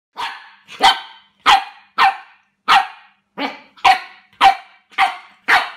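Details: A Pembroke Welsh Corgi puppy, struggling with cups it has just met, gives a quick run of sharp, high barks.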